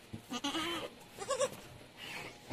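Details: Anglo-Nubian goat at Terra Grande Farms, San Carlos City, Negros Occidental, Philippines, during kidding, when seven kids were born in one day; two wavering, harmonic bleats, the first longer and quavering, the second shorter, with faint farm background.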